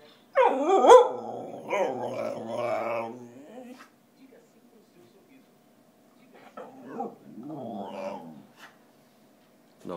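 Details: A hungry Whippet named Theodoro begs for food with loud, modulated 'talking': a yelping start flows into long, wavering howl-growls rising and falling in pitch, a pause of silence, then another softer moaning run.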